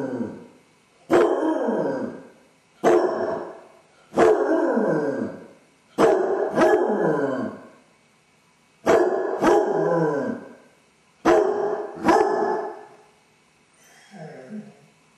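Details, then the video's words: Dodger, a pet basset hound pacing the house alone with separation anxiety, delivers a rapid series of barks and short howls, some paired closely together, each falling in pitch, ending with a faint whine-like call. "Basset hound suffers separation anxiety! Dog howling"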